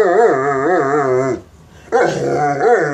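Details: Mastiff begging for bacon, giving long drawn-out whining howls that waver up and down in pitch, a brief pause, then resuming the same wavering whine.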